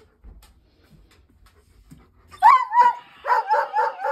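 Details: Female dog, scared of a scarecrow Halloween decoration her family put up, barking at it. After a quiet start with faint thumps, a quick burst of about six sharp barks comes in the last two seconds.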